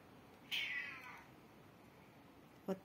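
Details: Hungry pet cat meowing indoors while waiting to be fed; one loud meow that starts high and slides downward, fading over about half a second, followed later by a short soft click.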